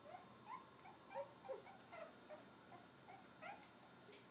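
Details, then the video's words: Cavalier King Charles Spaniel puppies, three and a half weeks old, at playtime: soft, high squeaks and little whimpers come every half second or so over a steady hiss of background noise. "Puppy play time. Lizzie/Coal babies 3.5 weeks"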